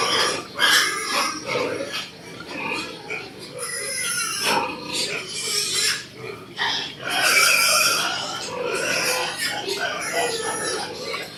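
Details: Pigs on a pig farm giving shrill, uneven squeals and harsh grunts in overlapping bursts, with human voices talking throughout.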